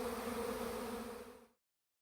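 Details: Swarming honey bees in Langford, BC, flying from a tree where they clustered for two and a half days toward a new bait hive. A continuous low buzzing drone holds for about one and a half seconds, then cuts to silence.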